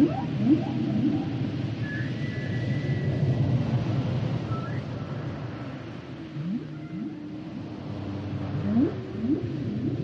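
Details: Humpback whale song mixing a high drawn-out whistle, faint short tones and clusters of quick rising whoops, with a soft long moan in the middle, over persistent low ocean rumble.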